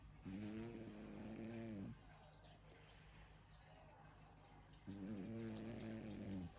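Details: Sleeping French bulldog Sam snores indoors, two drawn-out grating snores of about one and a half seconds each, low and harmonic, with a quiet pause of roughly three seconds between them.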